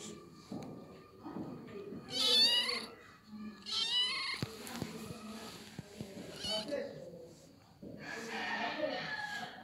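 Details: Little kitten meowing, with a few high, bright, harmonic-rich mews in short bursts, mixed with soft human voices and handling noises.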